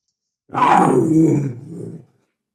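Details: Single panther roar lasting about one and a half seconds, opening with a loud raspy burst and sliding down into a lower, fading growl; clean background.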